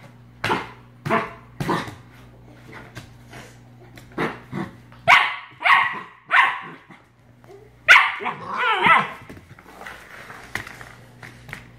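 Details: Australian Shepherd puppy barking while being attacked by a bottle brush; loud sharp barks in irregular bursts, some yelping, with laughter and human voices around.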